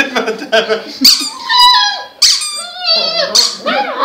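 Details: Puppy indoors singing, giving squeaky, high whining notes that slide up and down in wavering tones, several short howl-like phrases in quick succession.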